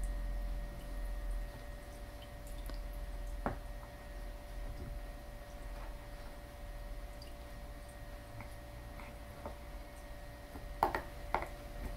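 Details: Quiet indoor room with a steady low hum, scattered soft ticks and drip-like squishes, and a few brief sharper clicks near the end; no animal voice.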